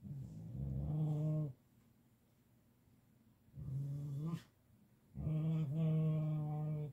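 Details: While being petted, a male Siberian Husky produces three long, deep, droning growl-grunts, each held for one to two seconds with quiet gaps between them, steady in pitch and richly layered.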